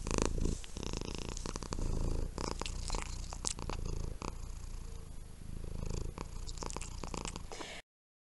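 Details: Sleeping pet cat purring steadily, a deep pulsing rumble that carries on for nearly eight seconds, broken by occasional crackling rustles before silence falls.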